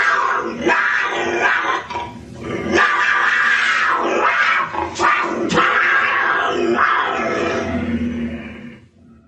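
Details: Puma producing a continuous rough, rasping growl for about nine seconds, pulsing unevenly in strength with short breathy surges and fading out at the end.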